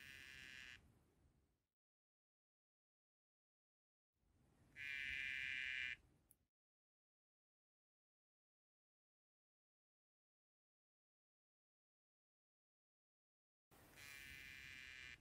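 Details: Male dyeing dart frog, Dendrobates tinctorius Cobalt, calling to a female while courting as she taps his back; three buzzy, steady trills roughly one to two seconds long, separated by long silent gaps.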